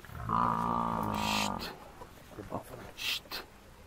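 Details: A buffalo bull hunted by four male lions lets out a short, tonal bellow lasting just over a second, followed by scattered knocks and rustling as the rest of the buffalo herd approaches.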